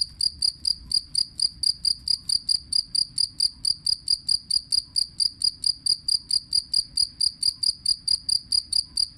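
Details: Two-spotted cricket singing as songbird tutor audio. A continuous, metronome-like train of high, bright chirps with a ringing overtone, roughly two per second for over nine seconds, over faint low background hum.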